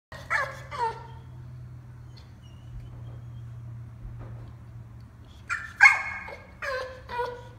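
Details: Bulldog crying after being put in time out for playing too rough, with two short high whines at the start, a long quiet gap with steady low hum, then a burst of four sharp yelping whines.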